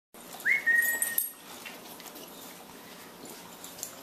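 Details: Bonbon, a 10-week-old female Boxer puppy, usually spunky but tired this morning and wanting a nap, gives one short high whine that rises quickly and then holds steady for under a second before quiet room noise.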